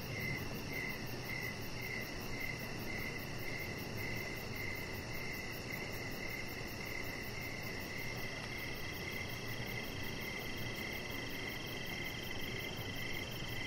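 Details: Crickets in the evening outside a house deck with a chihuahua puppy nearby, evenly spaced shrill chirps repeating throughout, backed by constant high insect buzz and faint low noise.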